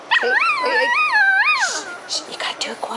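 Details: Pet dog and young child trading vocal sounds indoors, said to be barking at each other: a sustained, wavering howl that rises and falls twice, then brief quieter noises and soft talk.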